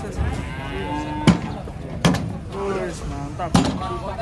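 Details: Cattle unloaded from a truck, giving a few short, muffled harmonic moos amid sharp bangs and knocks, with a man speaking in the background.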